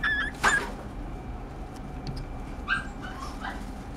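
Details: Pomeranian giving two short, high whimpering yips, one near the start and one later, over a steady low background hum.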